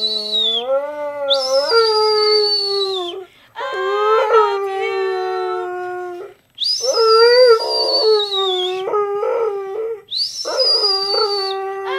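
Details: Pet dog Rex gives a run of drawn-out howls, some rising then holding, some wavering. Each lasts a few seconds with short gaps, and a high piercing tone overlays several phrases.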